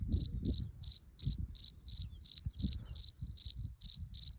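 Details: Cricket shown at work, chirping in short pulsed bursts about three per second, high and tonal, with faint low rustling and handling noise underneath.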